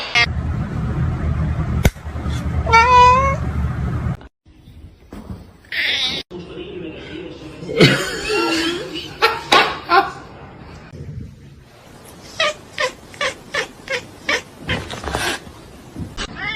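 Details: Kitten meows in a busy home scene: a strong wavering meow early on, then scattered short cries and a run of rapid clicks or taps, mixed with speech, background music and bumps.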